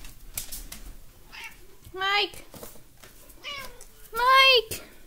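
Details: Talkative cat named Mike indoors in a small room, giving three harmonic meows, the last loudest and drawn out, with a person's voice and clicking noises between them.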